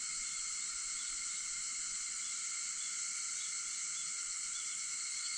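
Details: Cicadas singing at 4:50 in the morning on August 4: a steady, unbroken high-pitched drone with layered bands of buzzing, no pauses or rhythm changes throughout.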